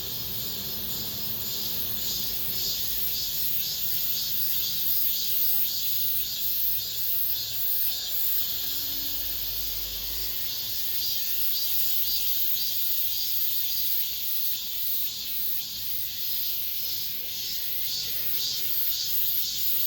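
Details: Late-summer cicada chorus, the season's last, recorded within an apartment complex. Unbroken piercing metallic drone, rhythmically pulsing roughly twice a second, swelling and easing slightly in loudness, with faint low hum beneath.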